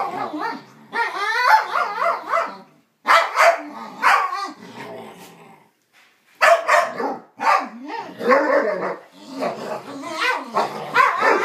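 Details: Dogs Psyche and Harvey make strange noises at each other: a long, busy exchange of warbling yowls, gargling growls and choppy barks in bursts, broken by two short silences, loud and close in a room.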